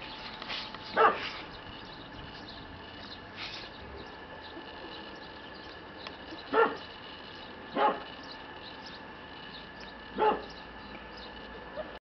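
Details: Young male red Shiba Inu at a breeder's kennel utters short, clipped yelps at irregular intervals, a faint pair early on then three more spaced a second or two apart, over a constant low room hum.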